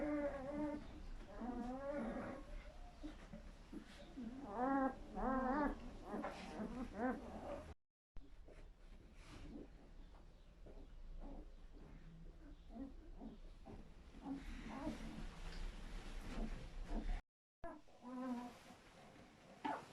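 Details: German Shepherd in labour delivering a litter of seven puppies: repeated wavering, harmonic whines and cries rising and falling in pitch, dense in the first half, with quieter shuffling and scattered softer whimpers after two brief silent breaks.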